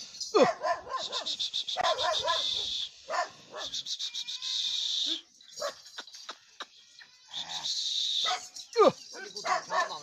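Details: Bully Kutta dogs out hunting in Punjab, Pakistan, giving scattered sharp barks and yelping cries, some sliding downward, mixed with a steady loud hissing high-pitched noise throughout.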